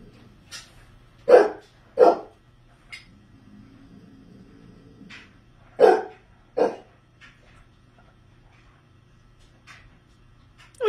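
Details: Two pet Basset Hounds indoors in a stand-off over a favourite dog bed; one barks at the other to make him leave it. Loud single barks, some in pairs, spaced a few seconds apart, with a low grumble between.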